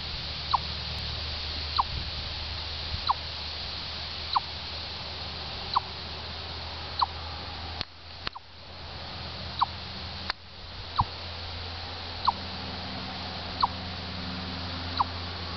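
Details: Repeated chipping from a chipmunk at Orr, Minnesota: about a dozen brief, descending notes spaced roughly every 1.25 seconds, steady and persistent, with a low background hum and a couple of dull thumps midway.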